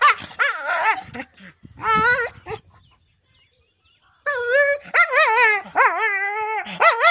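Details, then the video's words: Dog giving high, wavering whines and yelping cries in quick bursts, pitch sliding up and down within each call, with a near-silent pause of about one and a half seconds midway before the calls resume more intensely. "Dog barking | Dog sound"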